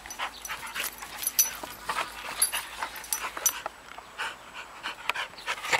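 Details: Two dogs together, a ten-year-old beagle named Andy and a nine-week-old ridgeback puppy named Tery; rapid soft breathy panting bursts with a few higher whimpering squeaks in between.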